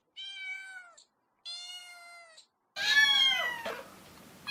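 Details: Domestic cat meowing: two clear, drawn-out meows of about a second each, steady and slightly falling in tone, separated by short silences, then a louder, harsher, more strained meow that trails off.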